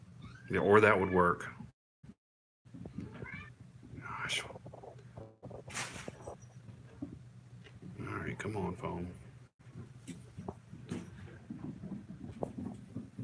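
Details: Kittens from a litter called the Australia Kittens, recorded indoors on 16 September 2018: a loud harmonic, rising-then-falling mew near the start, then quieter broken mewing sounds over a steady low hum, with human voices talking throughout.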